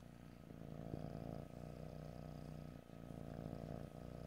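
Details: Cat purring in stereo with no talking, a deep, rich, resonant rumble in long breaths, with brief dips between inhale and exhale.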